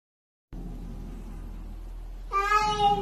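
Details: Pet cat meowing indoors: after half a second of silence and a steady hum, a drawn-out, bright harmonic meow begins partway through and wavers slightly until the end.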